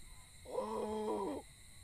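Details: Cow heard lowing from a distance at night at a village cremation ground, from the direction a light is pointed: one drawn-out, low, harmonic moo of about one second, steady and even, over a faint constant background hum.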